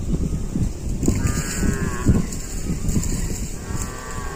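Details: Cow giving a strange-sounding call: low, rough lowing that fills much of the clip, with broad noisy bursts, faint high chirps, and steady background noise.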